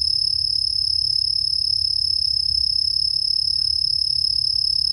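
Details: A melodious ground cricket from the Chicago region sings a steady, high, shimmering trill without pause, at normal speed before being slowed down.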